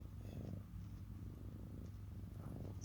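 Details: Domestic cat purring, a steady low rumbling drone with even pulses throughout, a small click near the end.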